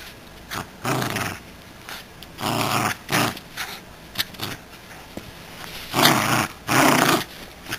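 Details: Miniature Schnauzer at play with a toy squirrel indoors, giving a run of harsh, grating growls in bursts of under a second, roughly six or seven across the stretch, with brief pauses between.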